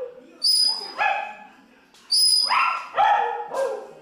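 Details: Pomeranian singing with music, answering high held musical notes with two bursts of strained, descending yelps and short howls.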